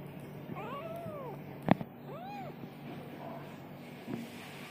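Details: Kitten meowing, several thin arched mews rising then falling, spaced about a second apart, a sharp click in between, a soft low hum in the background.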